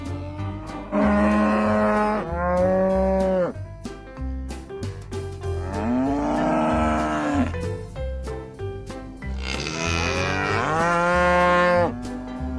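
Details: Cattle lowing in three long, separate moos, each starting strong and bending downward in pitch, with quiet gaps between. Rhythmic background music with a deep bass and regular percussion plays throughout.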